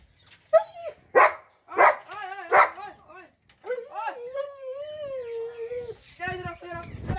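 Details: Female German Shepherd in Mirzapur, Uttar Pradesh, giving three sharp, spaced barks, then a long, wavering, high whine lasting over two seconds, with a man calling and talking throughout.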